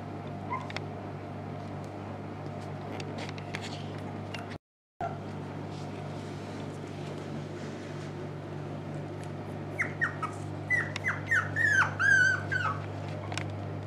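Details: Young dogs from a Dutch Shiba Inu and Samoyed kennel, recorded November 6, 2018, now awake for longer spells. After ten seconds of low hum and soft rustling, a rapid series of thin, wavering, rising-and-falling whimpers and squeals builds up.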